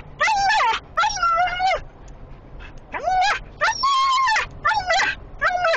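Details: Female Siberian husky inside a small vehicle, following a truck hauling a trailer of sheep and excited by their smell from high prey drive. She gives six loud, harmonic, yodelling whine-howls that rise and fall, in bursts separated by brief pauses.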